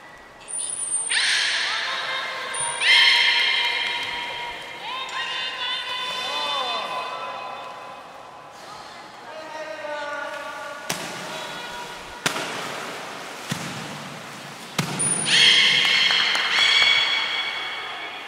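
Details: Training session with belugas Gray and Mirai at Port of Nagoya Public Aquarium on 22 August 2022; layered harmonic squeals, bending chirps and rapid stepped pulse series follow one another, punctuated by short high trainer's whistles and sharp knocks.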